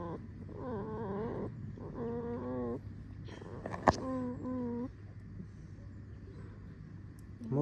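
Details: Pet red fox, a vixen, making a series of squeaky, whining calls with stacked harmonics, each lasting about half a second, some wavering and some falling, with a sharp click near the middle; faint music in the background.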